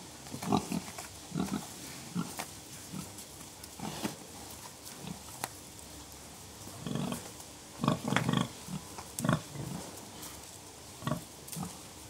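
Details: Gentle, contented grunting from pigs: clusters of deep, short grunts arriving in bursts with quiet gaps between, some doubled or tripled in quick succession, over a faint hissing background.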